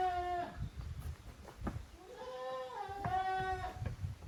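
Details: Goat kids at play in two teams, Koharu's and Okayu's offspring, on a handmade goat farm in Japan, 13 June 2023; one short bleat, then a longer rising, quavering bleat with steady harmonics, light scuffing underneath.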